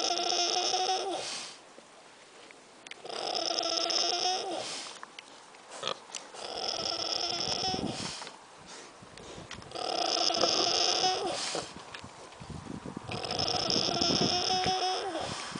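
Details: Sleeping pig on 1 August 2010 snoring: loud, raspy, tonal snores lasting one to two seconds, returning about every three seconds, with quieter breathing between.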